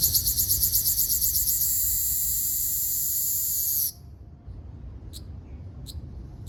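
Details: Ryukyu large brown cicada, Graptopsaltria bimaculata, singing on Okinawa Island, Japan, 17 June 2026; a shrill rapid pulsing buzz gives way to an even continuous drone, cutting off sharply at about four seconds, followed by a few faint clicks.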